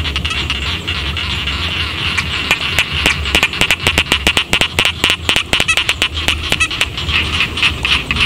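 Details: Village rice fields at night-like calm with frogs croaking: sparse clicks at first, then bursts of quick rattling pulses in the middle, set against a steady high drone and a low background hum.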